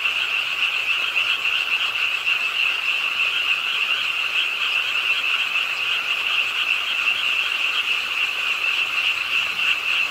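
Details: Rainy-night frog chorus beside the pond of Ingye Art Park, Suwon, Korea; densely packed croaks pulse rapidly and evenly in a shrill, constant buzz with no gaps, light rain audible underneath.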